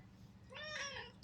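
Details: Indoor domestic cat uttering a single drawn-out meow that rises and then falls, over a constant low electrical hum, as a person tells it to leave in Tamil.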